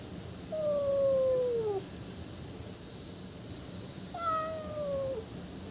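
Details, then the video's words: Cat meowing to attract other cats: two drawn-out, gently falling meows about three seconds apart, the second slightly brighter and higher at its start, over a quiet steady background hum. "Funny Cats and Kittens Meowing Sound Effect Compilation"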